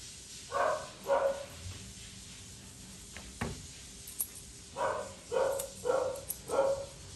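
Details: Poodle mix dog indoors while being groomed, giving short tonal yelps in two clusters: two quick cries, a pause with a soft thump, then four more in close succession, each brief and mid-pitched.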